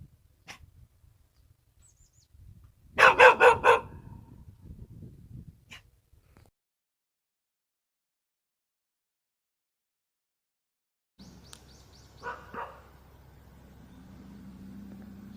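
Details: Korean country dog (sigoljabjong) barking: a quick burst of several sharp, loud barks early on, a few faint isolated sounds, a long silence, then a softer pair of barks over a low steady hum.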